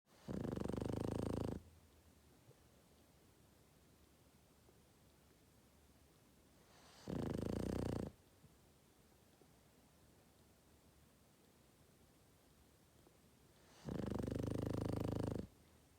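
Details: Boston Terrier snoring while asleep: three loud, rough, rattling snores about 1.5 seconds long, roughly six seconds apart, with quiet breathing between them.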